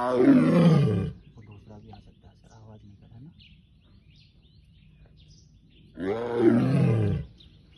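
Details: Male tiger T 58 gives two deep, harmonic roars about five seconds apart, each falling away, in Zone 10 of Ranthambore National Park, Rajasthan, on 27 May 2023.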